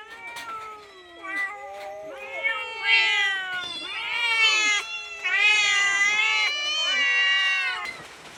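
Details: A cat begging for food with a string of overlapping meows, some short and bending downward, others long and wavering, growing louder and more insistent toward the end before stopping abruptly.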